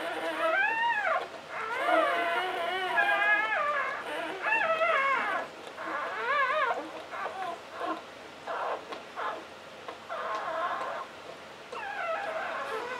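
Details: English Springer Spaniel giving birth to her first litter of nine: clusters of high, quavering whimpers and squeals arrive in bursts every few seconds, with quieter stretches between them.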